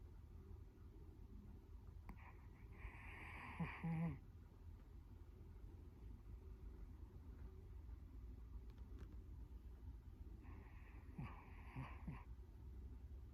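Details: Latte, a Chihuahua adopted at a Kaohsiung pet expo, filmed close-up while sleeping indoors on 2 January 2020 at 13:33. Two soft, breathy snore bursts come about eight seconds apart over a steady low indoor hum.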